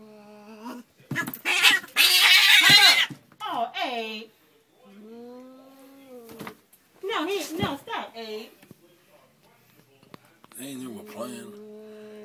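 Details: Two declawed Siamese cats fight in a laundry room, the female growling at the male as he tries to reach his litter box: long, wavering growls and yowls broken by harsh, breathy hisses, with quiet talk between outbursts.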